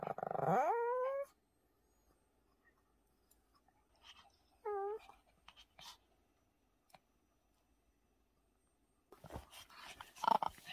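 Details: Pomeranian dog indoors during homemade puppy muffin treat preparation; a rising, drawn-out whine near the start and a shorter wavering whimper a few seconds later, then quiet with faint clicks and kitchen rustling at the end.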